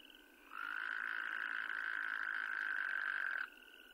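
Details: Wyoming toad, an endangered species, giving a steady, even pulsed trill that lasts about three seconds and stands well above a faint background chorus of other trilling calls.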